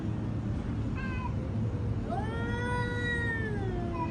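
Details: Domestic cats scolded for fighting: a brief falling mew, then a loud, long, strained yowl that rises sharply and slowly falls away over nearly two seconds, with a steady low hum beneath.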